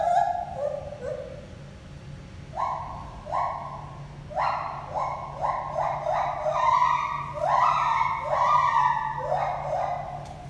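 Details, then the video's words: Two gibbons named Lenny and Holly whooping at the Toronto Zoo, a pair trading calls: swooping hoots falling then rising, grouped in accelerating bursts that climb in pitch and overlap, with a constant low background drone. "Gibbon conversation"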